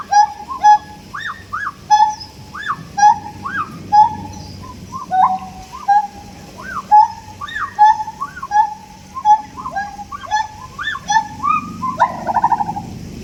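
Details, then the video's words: Siamangs calling: a run of loud, hooting whoops that bend sharply upward and fall back, repeated in quick, accelerating bursts. The series ends in a rapid, buzzy trill, with faint low background noise. "Sound effects by Siamangs"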